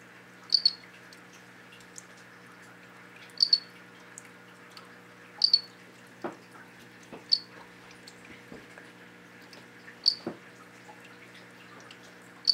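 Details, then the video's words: Male golden mantella frogs compete for a female, giving short, high, cricket-like clicking chirps at irregular intervals a few seconds apart. "What does a Golden Mantella sound like?"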